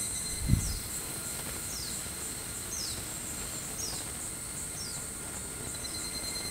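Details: An evening cicada (higurashi) in Japan in July 2020 sings a series of high, falling notes, repeated about once a second over steady insect hum.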